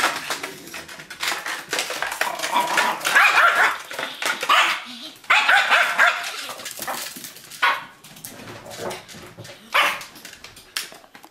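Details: Titan, a pet Yorkshire Terrier, yapping as he attacks a cup in play; irregular runs of shrill, harsh barks and growly squeals over eleven seconds, pausing between bursts, with faint voices in the background.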